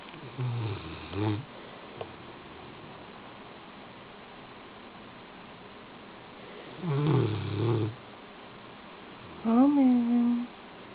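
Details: A sleeping Rottweiler snores indoors: two low, rumbling snores spaced several seconds apart, then a brief tonal, wavering voice near the end over a quiet background hiss.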